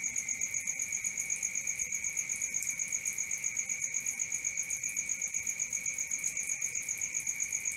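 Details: Crickets at night chirp in a steady, high, ringing trill, pulsing about four times per second with an even rhythm and a bright upper overtone, over a faint low background hiss.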